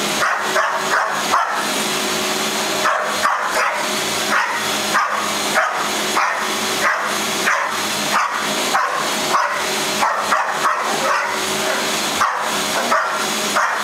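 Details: Pet dog Mauka barks at a vacuum cleaner being run indoors, firing off quick clustered barks about every second against the constant loud whine of the machine.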